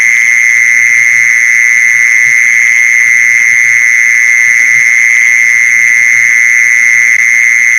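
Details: Mole cricket call for attracting other mole crickets, a continuous loud buzz that never pauses or changes pitch across the whole stretch, over soft low-pitched background murmur.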